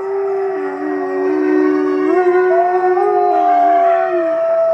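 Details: A gray wolf pack of about 50 voices howls together, long smooth voices overlapping and rising and falling at different pitches.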